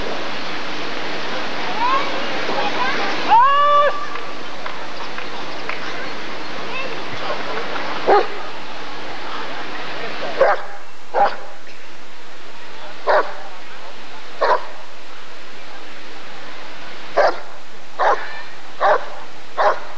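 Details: Barking from a Rottweiler at an ADRK breed survey (Körung) in 1994. Voices and a tonal sweep fill the opening seconds, then short, punchy barks repeat at uneven intervals for the last twelve seconds.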